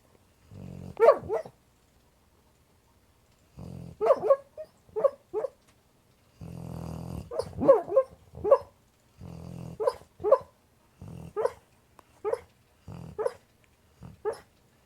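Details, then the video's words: American Pit Bull Terrier named Boog, tucked in cozy while sleeping and dreaming, gives muffled low woofs and short whimpering yips in clustered bursts, about a dozen voiced calls over fifteen seconds with quiet gaps between groups. "American pitbull terrier snoring and dreaming"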